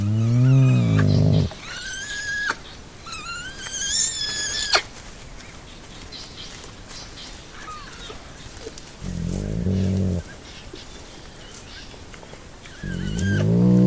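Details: Playful baby hyena: deep, harmonic growls open the recording, then thin, high squeals rise and waver through the middle, with more low rumbling growls returning near the end, quiet gaps between the bouts.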